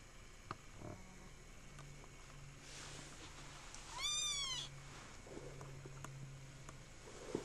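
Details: Kitten giving a single rising-then-falling meow of about half a second, faint and thin, with a quiet room and low hum around it.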